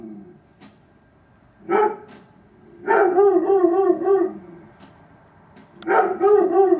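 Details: Neighbour's dog about eight feet from a bedroom window, barking in bursts: a single bark, then a rapid run of several harmonic barks, then another cluster near the end, with quiet gaps between.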